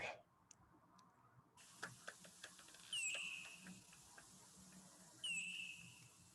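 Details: A bat's ultrasonic echolocation calls, lowered in pitch so they can be heard: sharp clicks, then two sweeping downward chirps, the calls coming faster with less time between them near the end.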